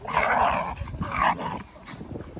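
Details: Golden retriever, an English cream male, playing with a canine best friend; rough, throaty growling in two loud bursts, then a quieter rumble, with close indoor sound.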